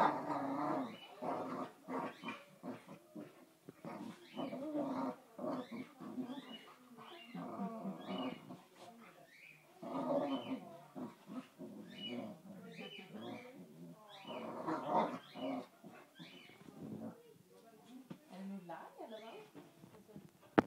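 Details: Kofi, a Boxer, and Kiko, a Basenji, wrestling in play: a long run of gruff growls, snarls and huffing grunts in uneven bursts, louder rushes around the middle and toward the close.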